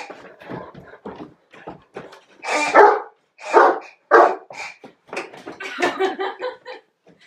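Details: Great Dane on its first birthday, 6 October 2014, indoors opening presents; several loud, harsh barks mixed with choppy vocal sounds in a small room.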